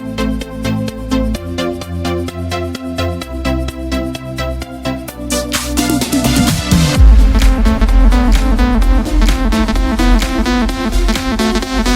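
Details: Loud electronic dance music with a pulsing beat builds into a deep bass drop, and no animal is heard.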